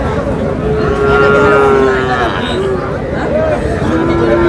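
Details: Sahiwal bull calf at a cattle market in Moulvibazar, Bangladesh, 15 June: a long, steady, low moo lasting over a second, then shorter wavering lows, over constant crowd chatter and men bargaining.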